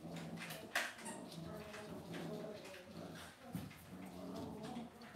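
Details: Several Cavalier King Charles Spaniel puppies in an indoor home pen make low, drawn-out whimpers and murmuring grunts, with a brief sharper squeak early on and light shuffling between them.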